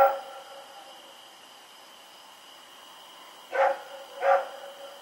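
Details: Dog Rex barking while running around in the night, recorded October 7, 2018; mostly quiet hum, then two separate barks about two thirds of a second apart near the end.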